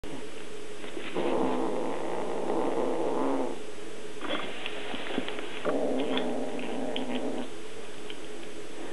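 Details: Small kitten growling to warn others away while eating a fish tail; three rough, raspy growl bouts of one to two seconds each, with a low steady background hum.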